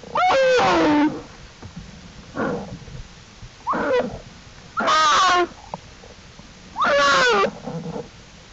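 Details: Cubs of the black bear Jewel exploring outside their den alongside her, April 2, 2012; five harsh, harmonic cries spaced about every one to two seconds, the loudest ones rough and wavering.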